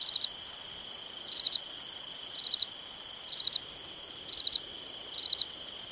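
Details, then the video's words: Crickets on a summer night repeat short triple-pulsed chirps about every second, layered over a constant high-pitched insect whine in an otherwise quiet setting. "Summertime Night Sounds Sleep Noise Crickets Night Stars"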